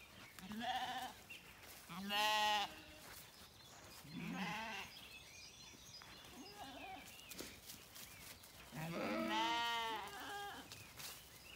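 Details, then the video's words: Zwartbles lambs on a regenerative farm in County Kilkenny, Ireland, calling for their mothers in the morning; a run of quavering bleats, several overlapping voices, the loudest near the start and end, with faint birdsong behind. "Lambs are quieter this morning, though still looking to me for their maas"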